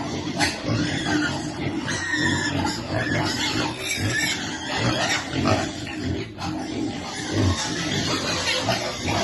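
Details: Hungry piglets at feeding time, producing overlapping short squeaks and deep grunts in irregular bursts against a noisy, busy background.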